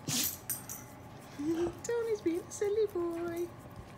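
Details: Siberian husky indoors at home, playing during a fun day, gives a series of short tonal, howl-like vocal notes, rising and dipping and held for a moment each, over about two seconds, after a rattling clatter.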